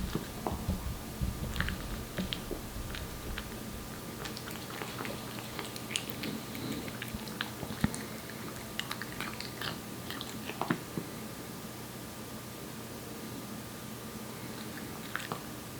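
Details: Indoors, the one-year-old Korean Shorthair cat Aeppi eats wet food, giving quick bursts of crisp smacking and chewing clicks at first, thinning to sparse quiet clicks over a faint steady hum.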